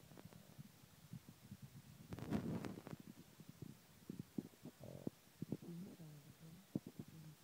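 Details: A pet Boston Terrier asleep and snoring: low rumbling, fluttery snorts in uneven bursts, with a louder rattling stretch near the middle and short nasal pulses afterward, in a quiet room.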